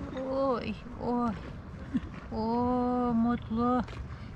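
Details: Hungry stray tabby cat living on a wharf in Istanbul, where cats sit beside fishermen waiting for fish; four drawn-out, steady meows, some sliding down at the end, with a short chirp between them and a person speaking nearby.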